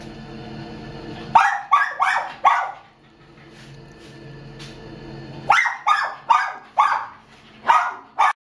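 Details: A roughly two-year-old female Chihuahua at the Downey Animal Care Center shelter, February 2015, barking: two bursts of four to five sharp, bright barks about a third of a second apart, separated by a pause, over a steady low background hum.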